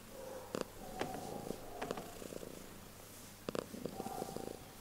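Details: A cat purring loudly, a soft rhythmic rumble of quick pulses, broken by a few sharp clicks and rustles close by.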